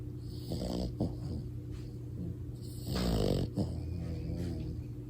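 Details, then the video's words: Pet French Bulldog puppy asleep and snoring; uneven, raspy snuffling snores, with one longer, louder rattling snore near the middle, over steady low room hum. "Cutest French bulldog puppy snores so loud!"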